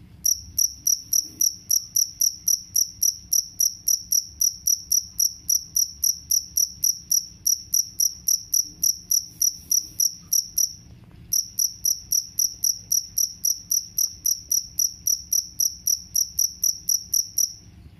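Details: Jangkrik kalung cricket, sound promoted for driving away rats, giving high, sharp chirps repeated about three to four times a second in a steady run, broken by one brief pause near the middle; faint low hum underneath.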